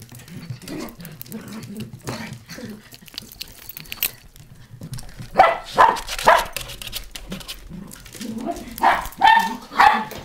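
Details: Two Kaninchen Dachshunds at home during a pet sitter's home visit in Yaizu, Shizuoka, Japan, on 7 October 2017. Quiet rustling and handling noises, then a run of sharp, ringing barks about every half second in the second half.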